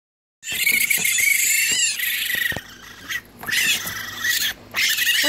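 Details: Two hungry baby raccoons in a licensed wildlife rehabilitator's care, being cleaned before bottle feeding. They give shrill, buzzy, high chittering cries in long bursts with short pauses, plus faint handling noises.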